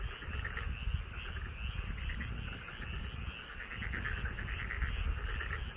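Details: Frogs calling from a rice paddy in front of a house in Korea: a dense chorus of pulsed, rattling croaks overlapping continuously, with steady low rumbling background noise throughout.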